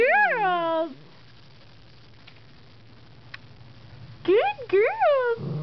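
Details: Trained female dog yodeling while guarding her owner from puppies outside the house, with another dog present. A sliding, falling yowl opens, then near-silence, then two rising-falling warbles at the end.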